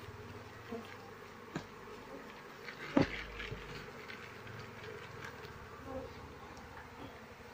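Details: Asian honey bees of a queenless colony, their honey-filled combs holding no larvae, give a soft, steady low hum with faint harmonics, broken by sharp clicks and knocks from the hive being handled.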